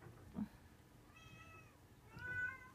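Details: Munchkin cat on first meeting a Shiba Inu dog; two quiet, high meows, the second longer and drawn out, with faint talking in the background.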